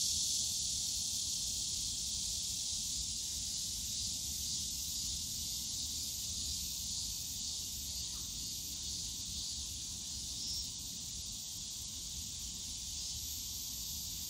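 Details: Bamboo-forest cicadas at Yongsan Family Park on a summer day: a steady sizzling high drone, gradually softening, with brief brighter flickers near the top and a low murmur of distant park noise.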